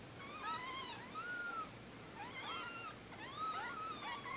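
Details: Orphaned domestic kittens, 2-3 days old, one of a litter of four whose mother was killed by a car in Middletown, being bottle fed; thin high arching mews, rising then falling, in three bursts about a second apart.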